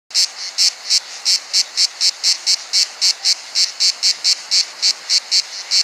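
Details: Cricket, a hidden insect, stridulating with its wings: high, buzzy chirp pulses repeated about four times per second, steady throughout, with no other clear sounds.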